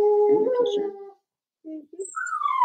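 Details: Cavalier King Charles Spaniel puppies, four weeks old, kept in a puppy pen at home: a wavering, slightly rough whine, a pause, short soft yelps, then a clear whimper that falls away steadily.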